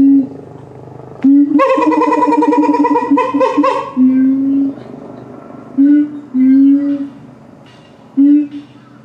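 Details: A gibbon at Higashiyama Zoo in September 2023 sings loud, hooting notes, some held steady and others swooping upward, with pauses between phrases.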